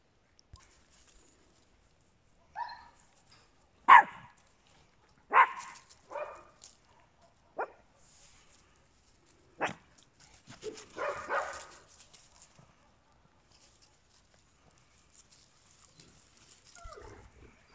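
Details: Small-breed dogs, Papillons alongside a Yorkshire Terrier, bark in short bright yaps at irregular intervals, about a dozen in all, with a longer, wavering yelp late on and soft scuffling in the pauses.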